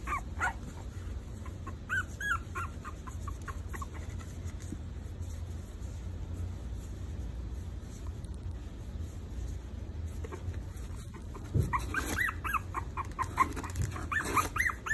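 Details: Maltese puppies four weeks old giving scattered high whimpers and squeaks, busiest at the start and near the end, over a steady low hum.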